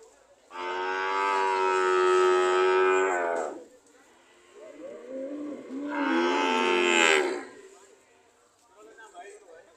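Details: Cows waiting at a market to leave, giving two long, full moos about three seconds each, separated by softer lower lowing, with faint murmuring between.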